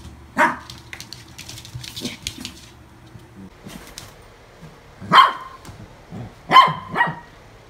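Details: Toy poodle, newly adopted in August 2018, barks once, goes quiet while voices and rustling fill the room, then fires off three clipped, high-pitched barks.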